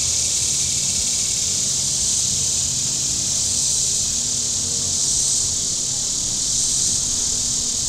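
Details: Cicadas on the shore of Table Rock Lake in southern Missouri on a very warm Saturday, a steady high, hissing drone that swells and eases gently, with a faint low rumble beneath.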